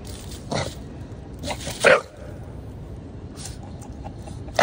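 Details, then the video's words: Bulldog barking after seeing a cat: a few sharp broadband barks near 0.5 and 1.9 seconds, another at the very end, with quiet room noise between. "I see a cat!"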